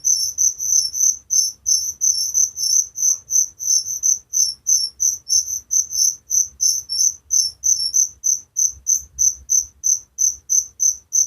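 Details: Cricket chirping at night, a sound familiar in village life: bright high trills in steady pulses about three per second, each pulse a short buzzy burst, continuing without pause over a faint low rumble.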